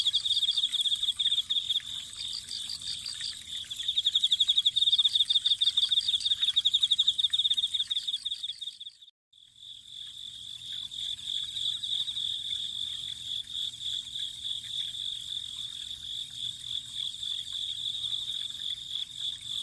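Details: Autumn insects beside a spring: a dense, high, shrill chirping trill, pulsed in quick bursts during the first half, briefly cut off near nine seconds, then resuming as a steadier ringing drone over faint low background noise.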